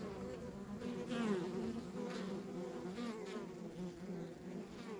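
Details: Honey bees at a rural backyard beehive make a steady, dense hum centred low and mid, with overlapping buzzy tones that waver and swell as individual bees pass close by.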